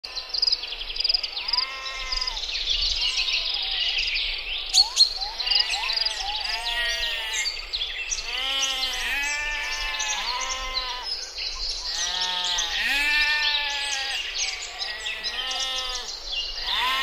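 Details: Mouflon, wild sheep, filmed in a forested mountain setting; many overlapping wavering bleats from several animals, harmonically rich and repeated throughout, with higher chirping sounds in the background.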